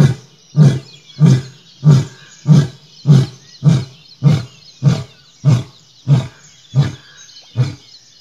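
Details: A male lion gives a series of deep, grunting roars, each a short low heave about every half second.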